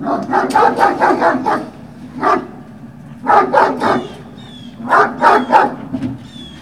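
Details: Yapping Great Dane puppies at Puppy Hill on 18 November 2018, early afternoon. Rapid bursts of high yips come in clusters of four to six, with pauses between. Faint thin whistled tones sound in the background.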